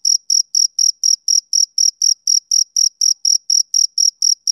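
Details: A male cricket calls through a summer evening with sharp, piercing chirps, evenly spaced at about four each second and all equally loud; no other sounds intrude.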